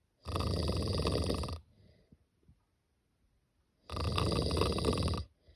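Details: Snoring from a sleeping cat: two coarse, buzzing inhalations of about 1.3 seconds, separated by a hushed pause of over two seconds.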